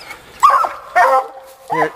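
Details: Young female Black and Tan Coonhound on a coon hunt, giving two loud drawn-out bawling barks followed by a shorter yelp; a man speaks nearby.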